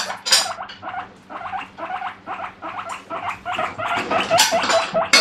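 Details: Pet guinea pig screaming in the morning, asking for vegetables: loud repeated wheeks with harmonics, a rapid run of short squeals about two per second, growing louder and shriller toward the end, with a low steady hum behind.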